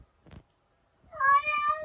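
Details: A kitten, asked by its owner whether it is stuck, gives one clear, high, drawn-out meow after a short pause and a faint thump indoors.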